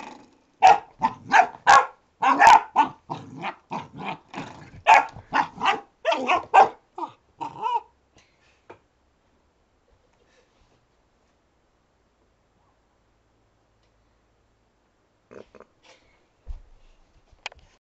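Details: Retriever pup Alfie discovers a door stop, letting out a fast run of sharp puppy barks and little growls for about eight seconds, then near silence broken by faint knocks and a last soft sound near the end.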